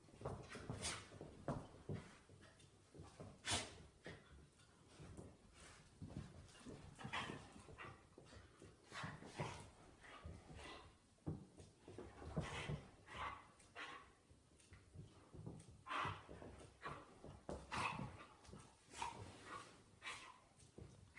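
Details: Play-fight between a 5-year-old male Irish Terrier and a newly arrived 10-week-old female puppy at home. Repeated throaty growls, snarls and brief yelping bursts continue steadily throughout, mixed with scuffling and thumps.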